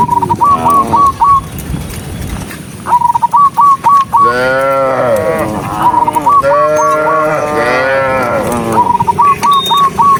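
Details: Dozens of cows running along a rural road give long, rich moos that swell and fall, between bursts of short whistled notes.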